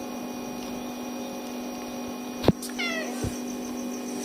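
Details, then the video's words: Tiny kittens crying for their mother cat until she arrives; a single short meow slides downward in pitch with clear harmonics, just after a sharp knock, over a steady electrical hum. "Tiny Kittens Won’t Stop Crying Until Mom Comes!"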